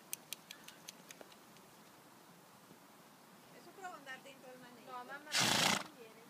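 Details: Appaloosa horse giving a quavering, wavering whinny with stacked harmonics that rise and fall over about a second, ending in a loud breathy snort; a few sharp clicks sound beforehand.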